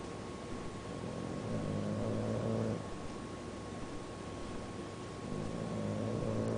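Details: Snoring from Chulo, an awake bulldog: a low, raspy, buzzing drone rising in drawn-out breaths, one at about two seconds and another near the end, with a constant background hum between them.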